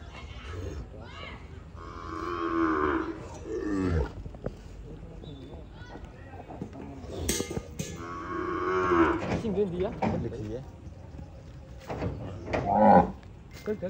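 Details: Peranakan Ongole cattle from Kebumen, Indonesia, being shipped to Klaten: two long, rich, low moos, each lasting about two seconds and separated by several seconds, with people talking and handling noise in between.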